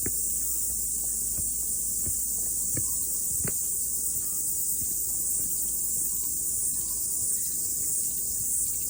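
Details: Morning mountain hike after rain with cicadas singing: a constant piercing high buzz dominates, over occasional footsteps and soft low rumble.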